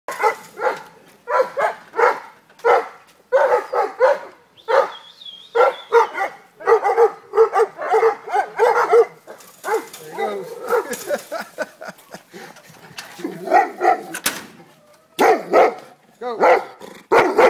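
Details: Cane Corso barking loudly in a steady series of deep, harsh barks, about two per second, with a brief high whine near five seconds and a few sharper yelps toward the end.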